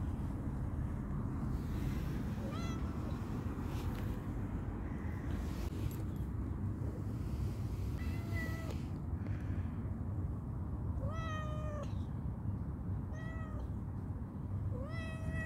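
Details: Hungry, playful calico cat meows repeatedly, about six short harmonic cries that come closer together toward the end, against constant low background rumble.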